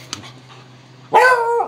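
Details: Beagle during tug-of-war play with a blue toy, giving a loud sustained harmonic bark-howl after a second of quiet, steady low hum underneath.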